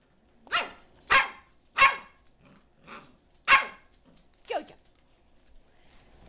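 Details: JoJo, a pet dachshund, barking in sharp broadband bursts, five loud barks spaced about a second apart and a final softer yelp, with quiet pauses between.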